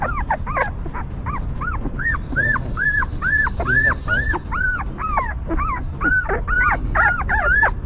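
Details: Newborn puppies with their stray mother dog, who cleans, feeds and comforts them; a steady run of high, arching whimpers, several overlapping, rising then falling, about two per second, over a low rumbling background.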